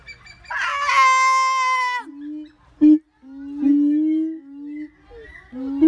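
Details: Siamang calling: a loud, harmonic wavering note with a brief rising scramble, then a sustained low tone and several steady booming notes broken by sharp clipped bursts.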